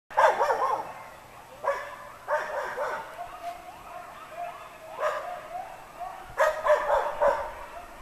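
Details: Coyotes howling in response to a town fire hall siren that sounds daily at noon, apparently quite close. Bursts of excited yipping alternate with quieter wavering, sliding howls in between, and there is steady background hiss.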